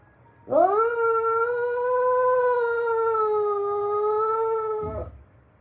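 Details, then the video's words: Shiba Inu dog singing along with the daily routine announcement song; one long, steady howl of about four and a half seconds, rising quickly at onset, holding level, then stopping abruptly. "ルーティンの歌が😅 今日 は出遅れたコロ🐕アナウンスを聞き逃したコロは歌い出しが分からず"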